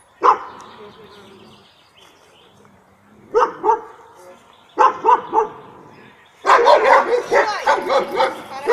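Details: Labrador Retriever barking to protect its female owner: single loud, sharp barks at first, spaced about a second or more apart, then a rapid burst of repeated barks near the end, with a low voice in the gaps.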